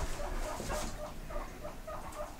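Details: House pigs squeak in reply while a person calls them to come and get grass; short, evenly spaced squeaks repeat about every quarter second under the steady murmur of the room.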